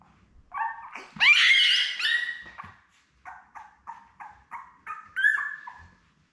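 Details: Young Labrador Retriever puppies, a litter of seven with mother Belle, born May 24, 2021; a loud squealing cry, then a run of short evenly spaced whimpers about three per second, ending in a higher yelp.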